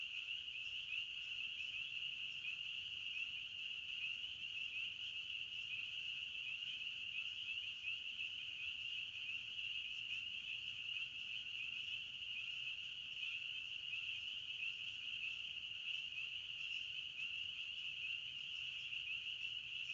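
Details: Forest crickets form a continuous shrill chorus, an even, high buzzing trill that never stops or changes pitch across the whole stretch, over a faint low background hum.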